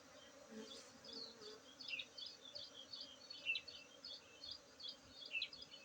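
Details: Honey bees during a honey harvest at Tingkem village, Bener Meriah, Aceh, on 19 August 2023: a steady low droning hum runs throughout, with scattered high chirps above and faint rumbling below.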